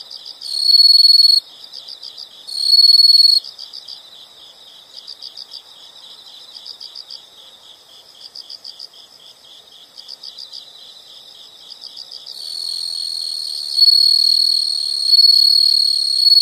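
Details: Night-style insect chorus: two short bursts of piercing continuous trill, then steady rows of quick high chirp pulses, ending with a long, loud, unbroken shrill trill.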